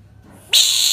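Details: A frog screaming: a sudden shrill, harsh cry starts halfway through and holds steady and loud to the end, with strong high overtones and nothing low beneath it.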